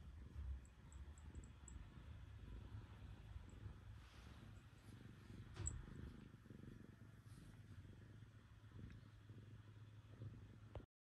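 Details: Terrace the black cat purrs on a lap on waking, having been cold overnight; even low vibrating purr held steadily for about eleven seconds, with a brief rustle midway before ending abruptly.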